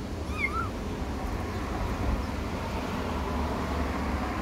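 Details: Single brief upward-bending meow from a kitten stuck in a drainpipe, near the start, followed by steady low-pitched background rumble with no further calls.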